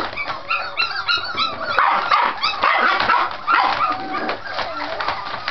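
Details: Scottish Terrier puppies in noisy play meant to seem vicious; a continuous jumble of high squeals, short yaps and growly snarls, irregular and overlapping, with possible faint talking in the background.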